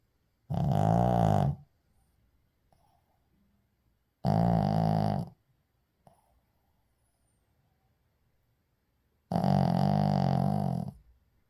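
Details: Shih Tzu. A Shih Tzu snores in deep, buzzy, rattling breaths, each lasting about a second. Quiet gaps of three to five seconds separate the snores.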